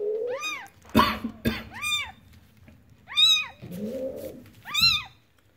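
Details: Newborn domestic kitten calling in repeated thin arched mews, about four clear cries, mixed with a couple of sharp clicks or knocks and a brief low rustling noise.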